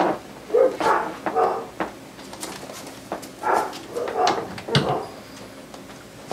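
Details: Seven-week-old Siberian husky puppy first meeting his dad indoors, with household cats nearby: a series of short, tonal whining and woo-like calls about every half second, with room clatter between.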